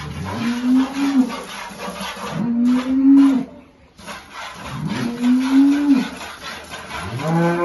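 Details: Holstein cattle with calves during milking in rural El Salvador, lowing in three drawn-out, steady moos about two seconds apart, a fourth starting at the end, over rough background noise.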